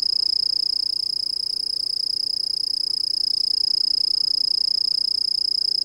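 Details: Eurepa yumbena calling with an unbroken, shrill, ringing trill of rapid, regular pulses held at one high pitch throughout, with a faint upper overtone and little else audible.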